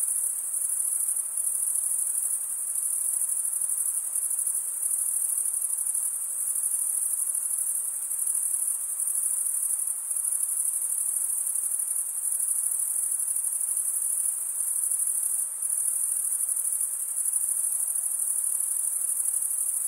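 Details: Summer-night forest crickets form a continuous shrill chorus, a thin high ringing trill holding the same pitch and loudness for twenty seconds, with no other sounds.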